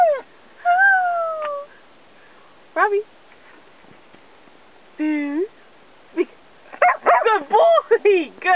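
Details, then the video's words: Australian Cattle Dog Robbie, being coaxed to speak on command, makes drawn-out falling whines and short yelps between pauses, closing with a burst of quick wavering vocal sounds. "Talking with an Australian Cattle Dog"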